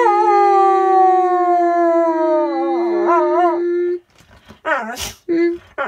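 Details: Pet pit bull in an RV on her birthday, giving a long steady howl for about four seconds that wavers near the end, followed by short broken yelps and whines.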